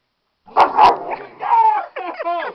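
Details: Rex, a pet dog, protesting while having his nails cut indoors: two sharp, loud barks followed by a drawn-out whine and a final wavering, yelping cry with strong harmonics.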